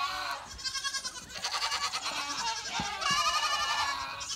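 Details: Goats out in the rain, which they dislike even when only a few drops fall, bleating continuously in shaky, vibrato-laden cries that overlap and swell in loudness.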